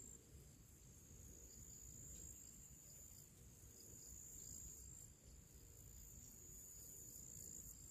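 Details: On a summer pre-evening in nature, crickets and other small creatures sing; a steady, high-pitched cricket trill rings over a low background rumble.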